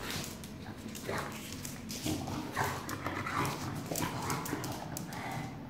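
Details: English Bulldog being coaxed by its owner to go and get its bowl; rough snorting grunts and short whiny bursts come every second or so amid scuffling noise and the owner's voice.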